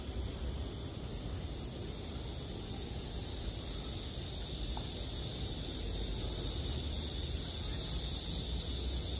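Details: Cicadas singing on a summer night: a steady, unbroken high hiss fills the upper range throughout, with low rumbling background noise and a brief faint tone near the middle.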